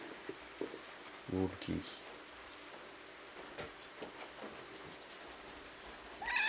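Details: Kitten that mistook a roll cake for its snack and tasted it gives two short, low meows close together in a quiet indoor room, with faint clicks and rustles around them.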